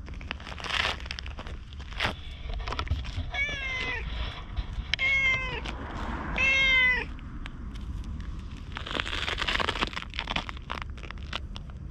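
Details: Orange tabby stray cat in Japan, recorded on a GoPro, talks in cat language while following a person after a little petting: three clear, rising-falling meows around the middle, with rustling footsteps and outdoor background noise.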